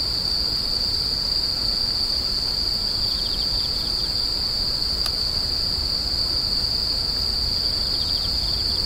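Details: Insects screeching in a continuous high ringing drone, a soft pulsed chirping series joining intermittently, one sharp click midway, and low rumbling noise beneath.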